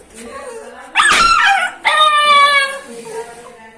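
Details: Angry dog or puppy letting out two loud, drawn-out high yelps, each with a slightly falling pitch, between quieter whining.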